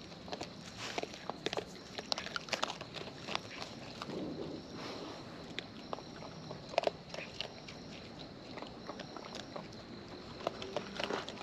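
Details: Wild raccoons filmed close up while eating, with natural chewing sounds: scattered sharp crunches and soft clicking bites spread irregularly across the recording over a low background hiss.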